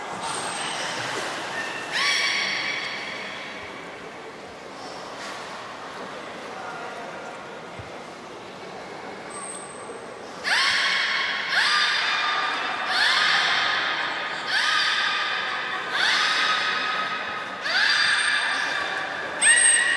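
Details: Beluga training session with Gray, Nana and Nico at Port of Nagoya Public Aquarium, 14 October 2019: a harmonic squealing call early on, then a run of bright stacked squeals about every 1.5 seconds, with human voices and a reverberant hall.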